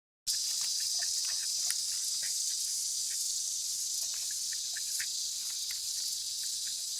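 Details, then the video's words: Cicada calling: a steady, unbroken high-pitched hiss-like drone that holds constant throughout, with faint scattered clicks underneath. "Oh Cicada Animal"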